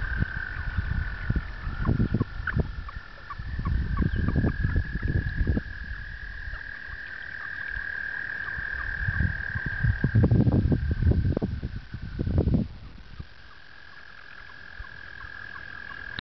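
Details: Frogs in mating season at a two-acre pond in upstate New York, April 2009, with a mating cluster around one female: a continuous high, even-pitched trill runs throughout, broken by bursts of low thumping and splashing noise.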